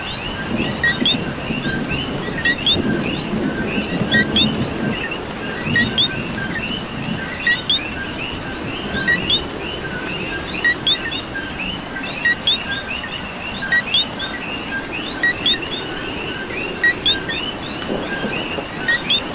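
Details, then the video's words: Coqui frogs calling in rain in Puerto Rico: many overlapping two-note calls, a lower note jumping to a higher whistled one, repeated roughly every second or two over a steady hiss of rainfall. "Coqui and Rain"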